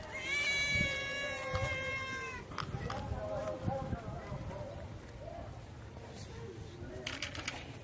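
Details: A hungry street cat gives a long, clear, steady meow of about two seconds before feeding, followed by softer, shorter meows and scattered clicks and knocks.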